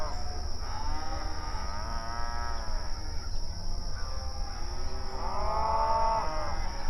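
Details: A herd of cows mooing in the night, mournful and drawn out: one long arching moo at the start, softer overlapping calls in the middle, and a loud swelling moo near the end, over a constant high whine.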